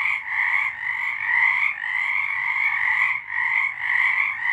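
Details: March 2023 night recording of singing frogs, a continuous overlapping chorus of quick pulsing trills, high and ringing, swelling slightly and dipping briefly near three seconds.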